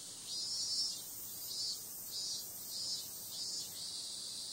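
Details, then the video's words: Cicadas on a summer night: a dense, steady high-pitched hiss, with brighter buzzy swells pulsing roughly twice a second throughout; no other sounds stand out. "Cicada sound"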